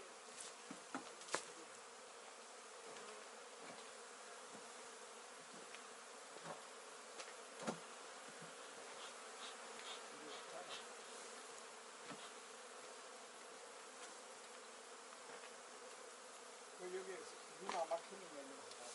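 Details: Honey bees kept by a beginner beekeeper. A steady low droning hum runs throughout, broken by scattered sharp clicks and knocks, with a short cluster of louder taps near the end.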